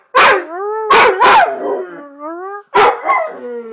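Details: Male red-nose pit bull kept as a pet howling: sharp barks break into drawn-out, falling tonal wails, two barks near the start, then a harsh burst and another sliding, wavering howl at the end.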